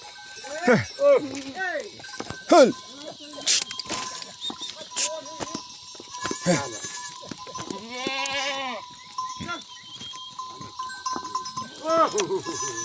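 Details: Himalayan goats on a jungle goat farm in Uttarakhand, India; a chorus of short and drawn-out wavering bleats from several animals, plus clicks, bumps, faint bell-like tones and a constant hum.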